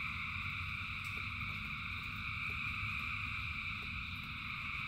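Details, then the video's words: Rainy night ambience of thousands of frogs singing: an even, layered high-pitched trilling wall of sound that never breaks, with low rumbling rain and sporadic soft drop clicks. "Frogs in Rain 2 Hours of Frogs, Thousands of Frogs Singing"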